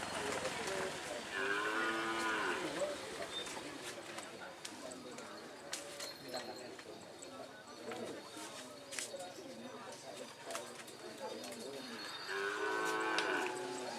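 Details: Madura cattle at karapan sapi bull race training on the Asemanis field, Pamekasan, Madura, East Java, Indonesia: two long, harmonic lowing moos, one near the start and one near the end, with people talking and outdoor bustle in between.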